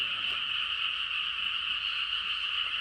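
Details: Many frogs calling together at night in the countryside, producing a constant, even, high-pitched rattling chorus with no pauses and no other clear sounds.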